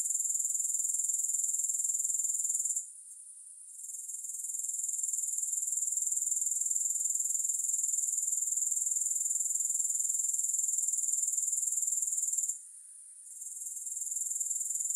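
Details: Grasshopper sound, free of music: a continuous high-pitched pulsing buzz that drops away sharply twice, for about a second each time, before fading back in to the same shrill, evenly beating trill.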